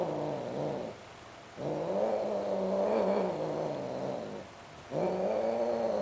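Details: Greek short hair and Siamese cats, both sterilized, mating: drawn-out, wavering, moaning yowls in long stretches of two to three seconds, separated by brief quieter gaps, with a rising howl starting again near the end.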